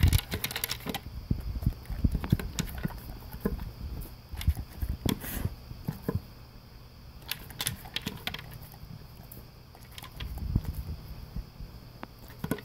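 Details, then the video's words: English cream golden retriever eating dry kibble for breakfast, slowed by a blue bowl with concentric circles. Dense crunching and clicking opens the stretch, then quieter intermittent chewing and a renewed burst near ten seconds. "Crunch Crunch - Golden Retriever Eating His Breakfast"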